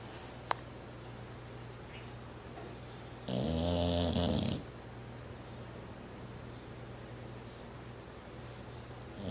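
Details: Sleeping bulldog giving one loud, rough, rattling snore lasting just over a second in the middle, with quiet room hiss before and after.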